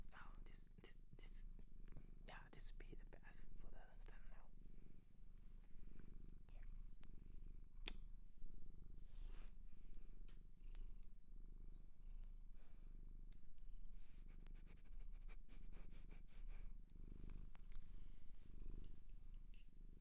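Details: Shelter-adopted cat in Japan purring indoors, a continuous low rumbling pulse running under soft whispering and small tapping and rustling noises throughout.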